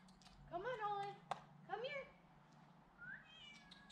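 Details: A cat named Olive is coaxed down from a tree during a rescue. She gives two rising-falling meows about a second apart, then a soft higher mew. A person calls to her in the background.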